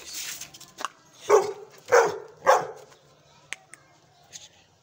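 A young Gull Terrier gives three deep, forceful barks in quick succession, about half a second apart.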